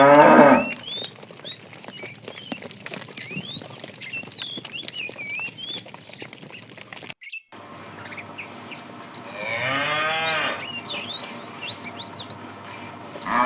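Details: Afternoon, a tame herd being herded: a fat cow calling the female gives one wavering, harmonic moo about ten seconds in, with brief moo fragments at the edges and continual bird chirps and twitters around it.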